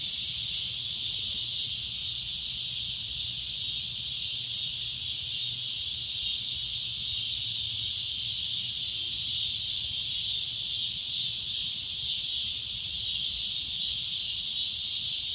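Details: Loud shrill cicada drone, a continuous high buzzing that stays level for the whole stretch, with only a faint low hum underneath.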